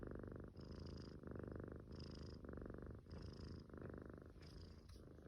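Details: A sleeping Munchkin kitten snoring quietly. Soft, rasping breaths come in steady rhythmic pulses about twice a second, with a faint higher hiss on some breaths and no other sounds.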